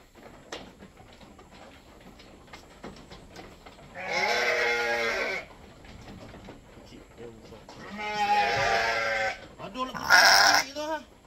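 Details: Goat being milked to feed a newborn kid, giving three loud, wavering, nasal bleats spaced a few seconds apart, the last short and higher, with people talking quietly in between.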